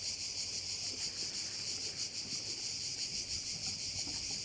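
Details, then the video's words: Crickets at a Korčula bay, Croatia, keep up a loud sizzling drone with fast pulsing throbs, several per second, over soft low rumble. "Korčula - view of one of the bays in Korcula with sounds of crickets"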